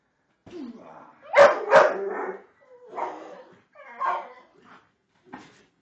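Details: Pit bull named Torque, indoors, making unusual noises while attacking a Pink Panther toy. Short, rough barks and yelps come in bursts, loudest near the start, with a person's voice urging it on between them.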